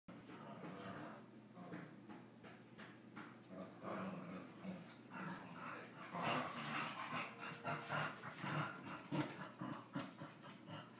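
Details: Two dogs, brothers, play-fighting at home; rough huffing growls, snorts and panting bursts come in irregular rapid clusters, louder and denser in the second half, with scuffling noise throughout.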